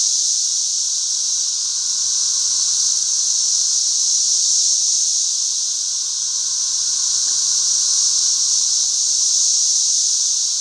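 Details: A back-yard swarm of thousands of 13-year periodical cicadas fills the air with a dense, high, buzzing whine that swells and eases only slightly over the seconds, never pausing.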